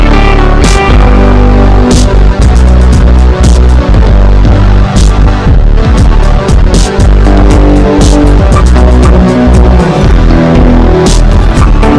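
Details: Loud electronic dance music with a heavy, throbbing bass beat and dense synthesized layers throughout; no animal voices can be picked out.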